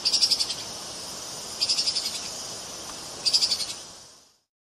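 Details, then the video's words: Treeshrew calls: three short bursts of high, rapid chirps, each a quick stuttering series of five or six notes, spaced about one and a half seconds apart over a steady hiss. "Odgłosy Tupaji. Dźwięki Tupaji."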